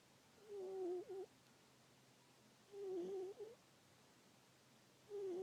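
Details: Female domestic cat sound asleep indoors, making soft little vocal noises: short, wavering squeaky murmurs, each about half a second long, coming roughly every two seconds in a quiet room.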